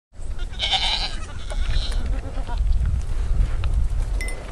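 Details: A baby pygmy goat in Fort Smith, Arkansas, lets out a brief, high-pitched, quavering bleat, then a fainter second cry. A heavy low rumble, like wind or handling noise, runs underneath throughout.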